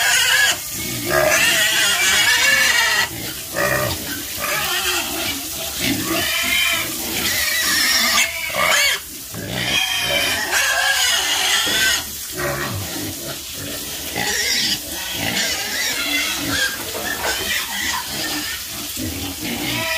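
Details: Many farm pigs squealing and grunting together, with bright, wavering high squeals overlapping rough bursts, nearly continuous for the whole stretch with brief drops between outbursts.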